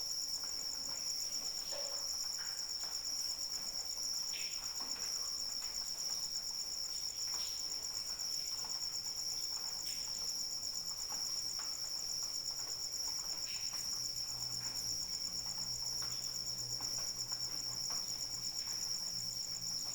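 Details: Rain with crickets for falling asleep: an unbroken high-pitched trill dominates, with drips and patter scattered across it and a low faint hum toward the end.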